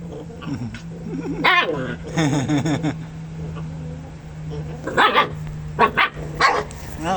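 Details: Dogs thought to be biting each other, possessive over a chicken bone: a low harmonic growling whine, then short broadband barks near the end, with a person talking over them.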